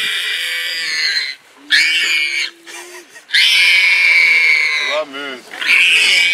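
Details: Wild pig attacked by a leopard, with a hyena nearby, lets out long, shrill squeals between gasping pauses, alongside a lower steady droning tone and a wavering, rising vocal sound.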